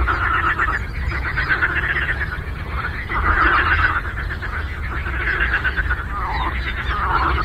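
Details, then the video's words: A lake frog chorus: numerous frogs croak in overlapping pulsed rattles, loudest in a swelling burst midway, with a short falling call near the end and a continuous low rumble beneath. "Frog Croaking"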